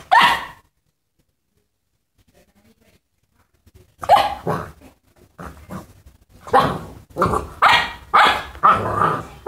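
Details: Boxer puppy barking while playing with a rabbit; a single rough bark opens, then after a pause comes a run of harsh, growly barks at roughly one and a half per second.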